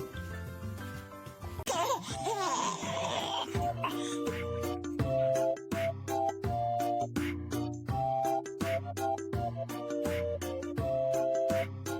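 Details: Upbeat music with bouncy repeated notes, a short burst of voices and laughter near the start, and no animal sounds.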